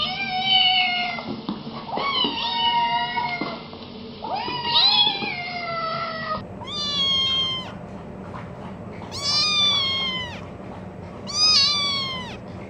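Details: Cats or kittens giving drawn-out, wavering meows at first, then three short, high, clear meows spaced about two seconds apart against a steady low background hum.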